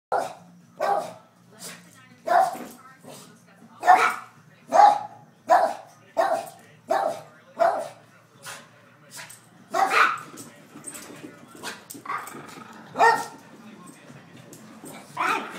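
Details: Boston Terrier excited by the smell of dinner cooking, with a Chihuahua also present; a long run of loud, sharp barks about one every second, later mixing with overlapping barks and whines.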